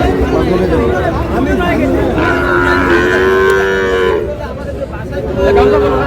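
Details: At a crowded livestock market, a Sahiwal bull calf bought for a Chittagong farmer on 24 July gives a long, steady moo that fades out, followed by a shorter one, with voices and crowd noise behind.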